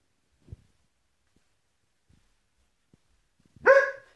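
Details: Kuvasz dog giving a single loud, harmonic-rich bark near the end after near silence, preceded by a faint soft thump; a brief spoken word in Polish follows.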